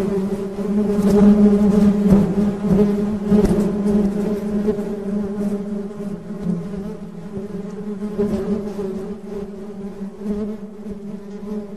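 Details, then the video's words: Honey bee buzzing as a dense, even hum with stacked harmonics, loudest early and easing slightly later, with occasional soft clicks scattered through the drone. "Suara Tawon Madu"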